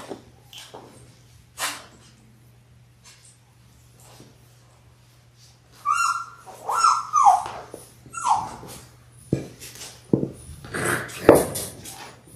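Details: Six-week-old Labrador Retriever puppies, a litter of six born January 18, 2022, on a live puppy cam on February 28: a run of high, tonal whines and whimpers with clear overtones after a quiet stretch, plus soft scuffling and clicks.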